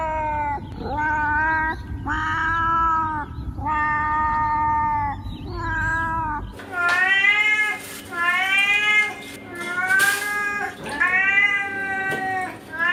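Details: Cats meowing repeatedly, about nine long tonal meows in steady succession; the first half sits over a low rumbling background, the later meows sound brighter and a little strained.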